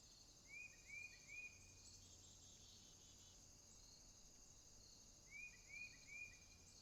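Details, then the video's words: Crickets calling at night in a swamp: a steady, high, shimmering trill drones throughout, while another animal gives two bursts of three rising whistled notes over faint low rumble. "Crickets, swamp sounds at night"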